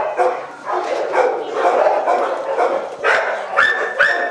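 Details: Boxer dogs held in shelter cages, a dense run of overlapping barks and yelps through the whole stretch, with higher whining cries rising near the end.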